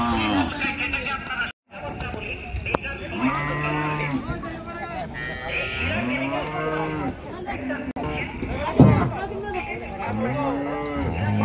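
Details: Cows unloaded at a popular village cattle market by the river in Bangladesh; repeated loud arching moos from several animals overlap across the stretch, with low lowing, crowd chatter and a brief dropout.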